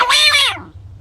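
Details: A rock hyrax (Procavia capensis) gives a single shrill, harmonic-rich shriek that slides downward and fades within half a second.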